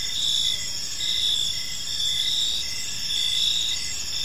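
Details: Several crickets chirp in a park as evening falls, a bright unbroken high-pitched buzz rising in pulses about once a second against faint background noise.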